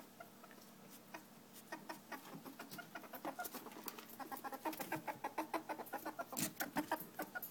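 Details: A female ferret hunting for another ferret she dislikes, kept in a cage above, so she can attack and chase him away; soft rapid clucking chuckles repeated in uneven bursts, growing louder and quicker toward the end.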